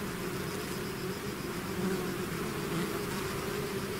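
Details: Bees swarming out of their hive, heard as a rough, unbroken low drone with wavering hum tones, somewhat engine-like in texture.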